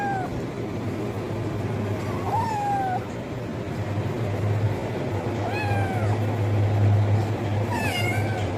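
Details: Kitten meowing loudly for food: a few thin, high harmonic meows, some rising then falling, spaced irregularly over a steady low hum and background noise.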